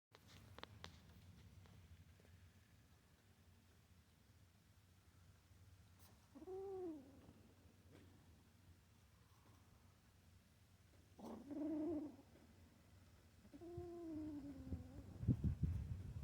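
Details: Cat. A kitten keeps up a low, rumbling growl, punctuated by three drawn-out moaning yowls that rise and fall. The sound warns other kittens to stay away from the mouse it holds.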